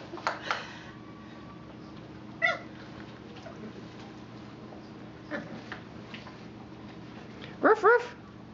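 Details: Four-week-old puppies at play beside Mama Valentine, 18 March 2013; scattered short high yelps, one early, one mid-clip and a louder double yelp near the end, over room hum and voices.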